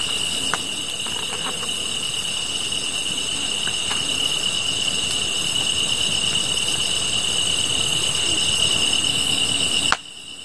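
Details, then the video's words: Grass insects in a continuous chorus alongside a fire: one high, level ringing note holds steady with faint rhythmic pulses higher up, a few sharp crackles near the start, and the sound cuts off abruptly at the end. "풀벌레 소리"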